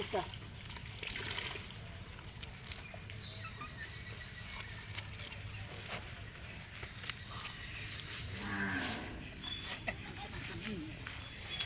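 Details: Cow kept for the Eid sacrifice, being given water, lets out a single short moo late on, amid clattering, splashing and people talking nearby.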